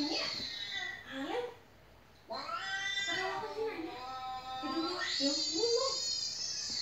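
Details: House cat indoors meowing nonstop while a clip of cats meowing plays for it. Drawn-out, wavering meows rise and fall in overlapping runs, with a short quiet gap before a fresh burst of long, bright cries.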